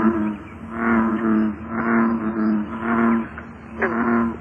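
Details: American bullfrog giving deep, droning calls, several low humming notes about a second long in close succession with short gaps, over steady background rumble.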